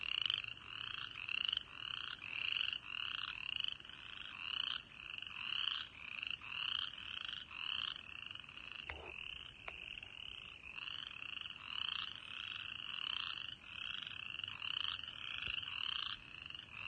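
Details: Spring frogs in East Tennessee, early March, at a birding park: a chorus of repeated short calls pulsing roughly once a second, each a bright high note over a lower band, with one brief knock midway.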